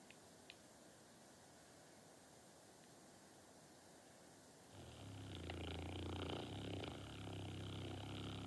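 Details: Norton, a sleeping pet dog, snoring: near silence at first, then from about five seconds a steady low rumbling snore with rhythmic breathing texture.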